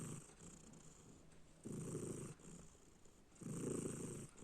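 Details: Cat snore heard as two loud gravelly low breaths a little under two seconds apart, with softer breathing between, over a steady faint hiss.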